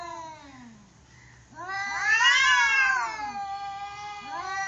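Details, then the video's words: Angry cats in a confrontation: drawn-out wailing yowls with falling and rising tones, swelling into a loud, harsh, strained howl midway before easing back to lower moaning cries and a fresh rising yowl at the end. "Cat VS Cat Angry"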